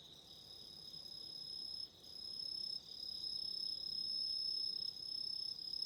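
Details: Autumn insects calling at night beside a candle flame: a steady, high, ringing trill with stacked bright tones, one stronger band and a thinner shrill one above, briefly dipping twice, with no other clear sounds.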